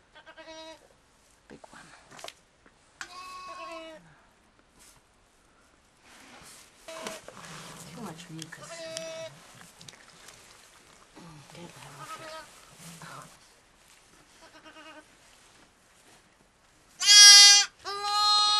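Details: Newborn lamb triplets at a farm in Sullivan County, New York, in October, just after birth. Several high, wavering bleats end the recording, loudest near the close, with people talking through most of it.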